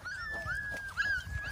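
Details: Golden Retriever whining while its owner calls it to come; sustained high nasal whines that slide up and down in pitch, with a brief dip partway and a little background noise.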